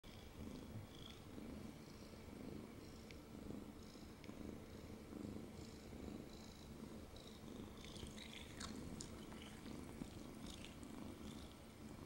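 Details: Domestic cat purring loudly while held in someone's arms indoors: a steady low rumbling purr in soft rhythmic pulses throughout, with faint scattered clicks and rustles above.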